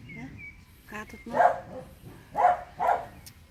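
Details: Small house dogs stay on alert at neighbours' noise from the garden and give three short, harsh barks about a second apart, with human voices faintly underneath.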